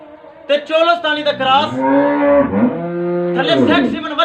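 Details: A Dutch Friesian cow offered for sale in Bunga Hayat, Pakpattan, Pakistan, gives one long, loud, harmonic moo. It starts at about half a second and lasts roughly three and a half seconds, wavering up and down in pitch.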